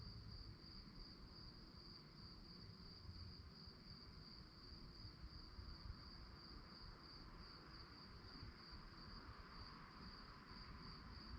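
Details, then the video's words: Night-time crickets giving a continuous, evenly pulsed high chirp that never breaks, laid over constant low-frequency rumble. "relaxing sounds of crickets"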